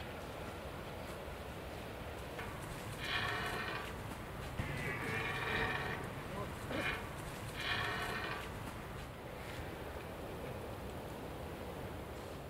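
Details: On 29 September 2017 at the Reemsterveld, Hoge Veluwe, Netherlands, a red deer stag gives several hoarse, drawn-out roars in succession during the autumn rut, over steady rushing wind.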